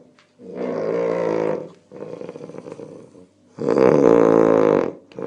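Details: Snoring domestic cat, heard close up. Long harsh buzzing breaths last over a second each, a loud one, a quieter one, then another loud one, in a steady rasping rhythm.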